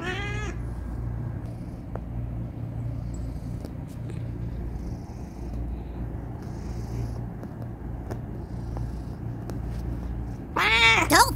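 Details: Male house cat protesting at being stopped mid-kneading: a wavy, harmonic meow-growl opens, quiet ticks follow over a constant low hum, and a loud, rising and falling curse-like yowl ends it.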